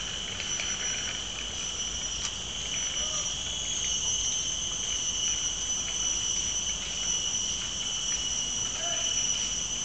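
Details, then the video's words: Steady chorus of cicadas at Mt. Faber park in Singapore, a continuous piercing metallic whine on two fixed high pitches, even in volume throughout, with a few faint brief clicks beneath. "The Sound of Cicadas in Mt. Faber park, Singapore"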